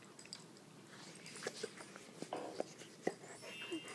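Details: Great Dane and Rottweiler at play in a living room in the evening: a run of brief, clipped yips and grunts over about two seconds, mixed with muffled rustling and mouthing sounds in a small room.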